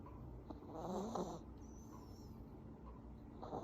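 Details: Deep sleep snore from an Affenpinscher: one rough, rattling inhalation with a nasal whistle, then a soft quiet stretch before the next breath begins.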